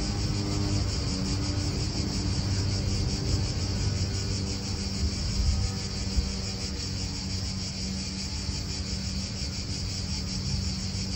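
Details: Cicadas in an Italian park keep up a steady, high, shimmering buzz with a faint rapid pulse, over loud low wind rumble and the steady hum of cars nearby.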